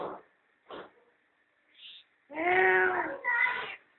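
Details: Cat with her playful kittens basking in the sun at home; a few short soft sounds lead into a loud, drawn-out harmonic meow that breaks into a second, higher and slightly shorter part.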